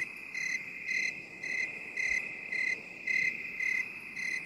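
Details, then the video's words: Binaural cricket sound made for relaxation: short bright chirps about every half second over a constant high ringing trill, with soft background hiss. "3 HOURS OF 8D CRICKET SOUND For relaxation and stress relief"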